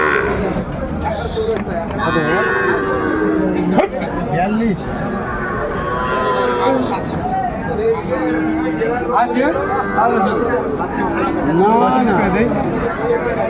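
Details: Small bull and heifer calves at a cattle market in Mymensingh, Bangladesh, 14 January 2025, lowing repeatedly; arched, rising-and-falling moos come every few seconds amid constant crowd talk and haggling voices.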